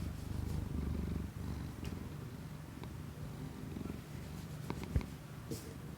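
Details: Indoor purring of the household cat Kiku-chan, taken with a new Shure MV88 microphone plugged into an iPhone: a deep, continuous rumbling purr, louder at first then easing, with scattered small taps and a brief rustle near the end.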